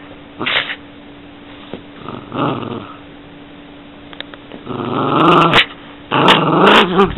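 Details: Yorkshire Terrier grumbling, with a few short muffled growls early on, then two longer, louder raspy growls near the end with sharp clicks.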